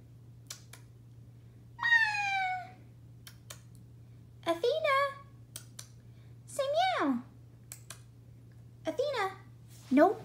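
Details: Athena, a black pet cat, talking to her owner indoors: five drawn-out meows, the first flat and steady, the later ones rising then falling in pitch, spaced about two seconds apart, with faint clicks between.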